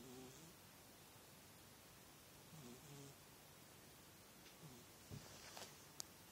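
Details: Snoring from a sleeping female house cat: two soft, slightly tonal snores early on, then a quiet stretch ending in a few faint clicks and rustles indoors.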